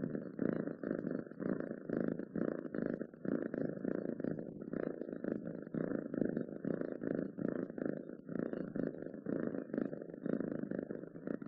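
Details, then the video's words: Domestic cat purring steadily, a low rumbling drone pulsing in short rapid beats, with brief breaths breaking the rhythm roughly every half second; close and indoors, no other sounds. "7 minutes of Cats Purring to make your day better!"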